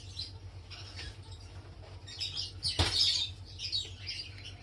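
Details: Three sand cat kittens about three weeks old, from a first litter, give thin, high chirping squeaks over a low steady hum.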